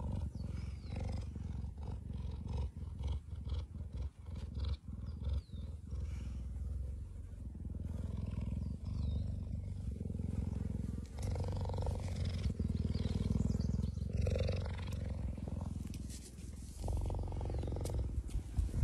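A cheetah gives a deep, continuous rumbling purr that swells and fades in steady pulses.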